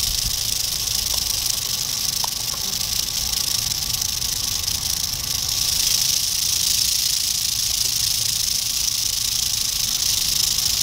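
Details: Eastern diamondback rattlesnake, dated 8/27/11, rattling in a constant high buzzing hiss that swells slightly louder in the second half, with occasional faint clicks early on.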